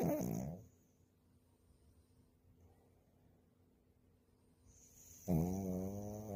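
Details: Napping puppy snoring, with one harmonic snore at the start and another at the end, separated by about four seconds of quiet breathing.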